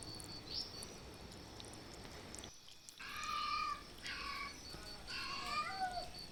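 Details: Stray cats calling loudly for food and shelter during the monsoon: after a quiet start, three or four drawn-out, wavering meows follow one another from the third second onward, over a steady high-pitched whine and faint background hiss.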